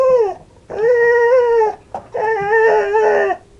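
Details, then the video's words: Pet dog indoors, while being asked if it wants to go outside, gives drawn-out howling whines: a short cry, then two long rich-toned wails about a second each, separated by brief pauses. "funny dogs sounds"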